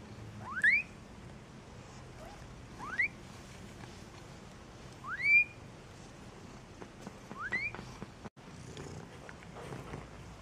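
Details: Young Maine Coons from a single-breed cattery in Saint Petersburg, Russia, utter four sharp upward-sweeping squeaks, spaced roughly every two to three seconds. Quieter rustling and faint mewing trail off afterwards above a low background hum.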